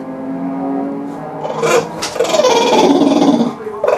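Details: Elvis, a pet English bulldog, making his funny noises: a steady low hum-like tone at first, then loud, rough, grumbling groans that waver up and down in pitch, close to the listener, ending with a short rising grunt.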